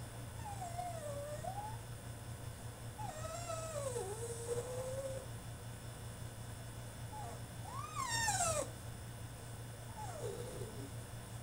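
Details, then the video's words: Caged French Bulldog in a tantrum, giving wavering, up-and-down whines and drawn-out whimpers, with a sharper falling yelp near eight seconds, over a constant low electrical hum. "FRENCH BULLDOG THROWS TANTRUM IN HIS CAGE!!"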